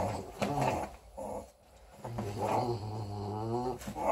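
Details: A 4-week-old female English Bulldog puppy gives small rumbling growls broken by brief pauses while playing with her teddy bear, showing it who's boss.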